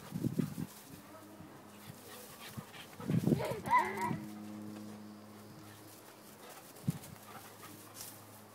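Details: A Basenji dog gives a short warbling, yodel-like call with a wavering, rising and falling pitch. The call is framed by a few dull thumps over a steady low hum.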